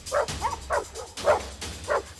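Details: Bear, a female German Shepherd mix that is aggressive toward other dogs, barking as a warning before going after them; five short, deep, gruff barks come in quick succession, about one every half second.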